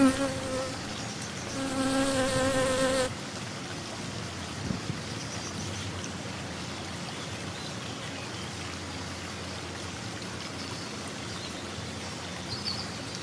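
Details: A black carpenter bee gives a loud, steady, low buzz for about three seconds while drilling a hole in a bamboo stick.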